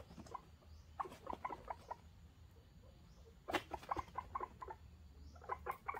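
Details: Pearly, a guinea pig female in heat, utters short clipped chirping chutters in irregular bursts of three to five, separated by brief pauses, over low room hum.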